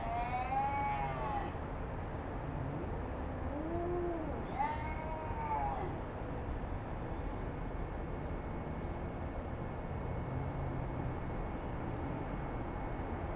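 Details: Cat standoff between Jasper and a neighbourhood cat: two drawn-out wavering yowls with low moaning between them in the first six seconds, then only a steady rumbling background with a faint continuous tone.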